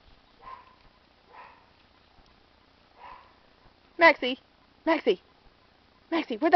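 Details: Miniature Pinschers at home, excited and barking after hearing the word squirrel; soft spoken words first, then three short loud bursts of sharp high yapping barks in quick doubles and triples.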